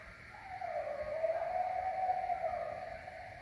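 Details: A coyote howls at the moon, a long, wavering howl that dips slightly and then holds steady.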